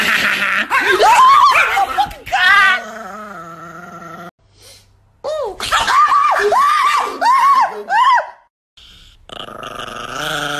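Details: Nikki, an angry pet Chihuahua, lets out a burst of short, arched, high yapping barks in quick succession, with a brief pause between bursts, while people talk indoors in a small room.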